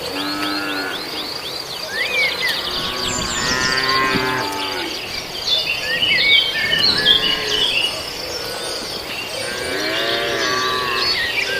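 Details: Beef cattle swarming over residents' green grass while feeding. Several overlapping moos of varying pitch rise and fall across the recording, partly masked by dense, constant high-pitched chirping of birds in the background.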